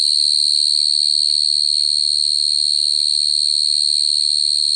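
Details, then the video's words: Unbroken high-pitched cricket song, a steady ringing trill with a fine rapid pulse and no pauses, over a soft low background hum. "Cricket sound effect(cricket sound)"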